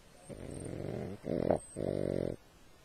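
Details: A dog asleep, snoring loudly in three close rasping bursts with brief gaps between them, each a throaty, vibrating rumble on a steady low hiss.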